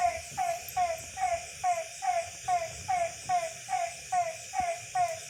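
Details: Village frogs at night in Tamil Nadu, giving regular falling croaks a little over once a second, each a short bright note dropping in pitch, with a steady insect drone behind.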